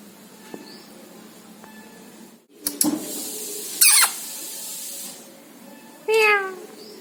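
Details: Domestic cat, one of a male and female pair, gives a single short meow with stacked harmonics near the end, after loud clattering knocks and a bright rattling burst indoors.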